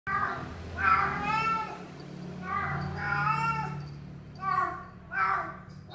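A Persian cat meows several times, each call a drawn-out, slightly wavering tone.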